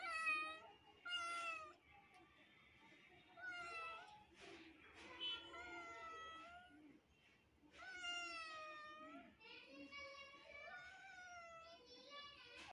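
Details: A neighbour kitten meows persistently as watching kittens react: a dense run of overlapping, high, wavering meows, some short and some long and drawn out, with brief quieter gaps between bursts.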